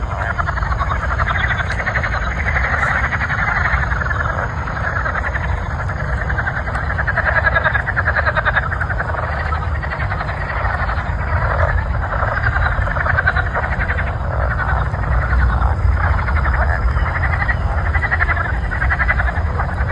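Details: Frogs calling before a thunderstorm: a dense, steady chorus of rapid pulsing croaks fills the whole stretch without pause, over a constant low rumble.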